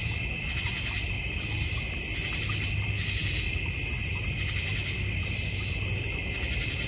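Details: Backyard crickets in the North Georgia Mountains trill in a continuous shrill chorus, with brighter pulses swelling about every two seconds over a soft low background rumble.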